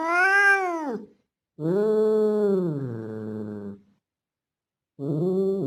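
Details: Male street cat that looks like a Bengal calling a female in heat. It gives a loud yowl that falls away, then a long moaning cry that slowly sinks in pitch. A third yowl starts after a pause.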